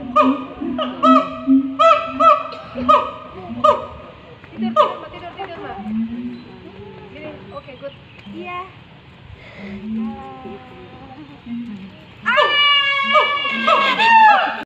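A siamang gives loud, repeated falling hoots, then bursts into rising, wailing swoops.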